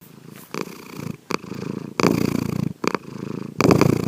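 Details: Domestic cat named Sankichi snoring while asleep indoors, secretly recorded: low rumbling, pulsed breaths in bursts lasting about half a second to a second, separated by brief quiet gaps and faint clicks.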